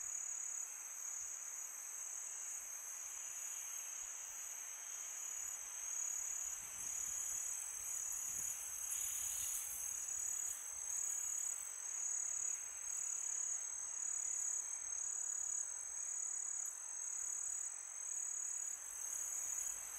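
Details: On a calm summer night, crickets keep up a thin, ringing trill of fast repeated pulses on one high pitch, steady in level, with a faint wash of wind behind.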